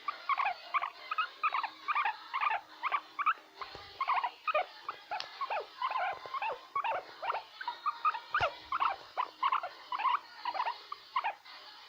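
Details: Pet guinea pig making "krrrr" sounds: a steady run of short, chirpy, rattling pulses, about two to three a second, each with bright stacked overtones, continuing without pause throughout.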